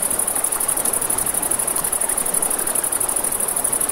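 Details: Riverside crickets at night give a shrill, rapidly pulsed trill, about ten pulses a second, layered over constant river noise and faint crackling flames.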